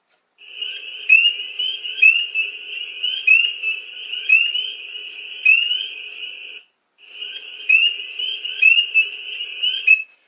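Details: Spring peeper on Long Island singing loud and clear: short rising high peeps repeated about every second, over a steady high-pitched buzz from hundreds of other spring peepers in chorus, with a brief break near the end.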